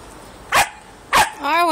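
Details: Twelve-week-old female Siberian Husky puppy trying to annoy an eleven-year-old dog at home: two short, sharp barks about half a second apart, then a drawn-out wavering whine.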